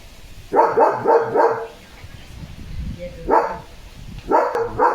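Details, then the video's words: German Shepherd dog barking loudly while soaking in the monsoon rain amid strong wind: a quick run of four barks, a pause with gusty rumble, then one bark and a final pair, with a woman talking nearby. "The German Shepherd पावसात भिजत भिजत भुंकतोय"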